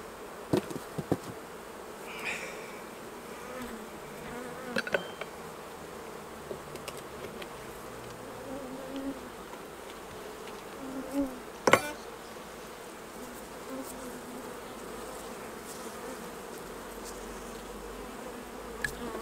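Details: Honey bees humming around the hives during a honey harvest as the honey is taken off and the bees are brushed away with a soft brush; a steady, low, droning buzz runs throughout, broken by occasional sharp knocks and clicks of handling.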